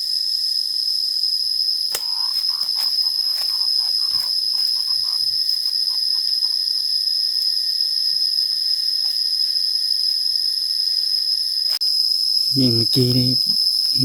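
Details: Wild cicadas in forest near Xaiphouthong, Savannakhet, Laos, with two perched close together while being hunted. A steady, high, unbroken buzzing drone holds throughout, with faint clicks and brief speech near the end.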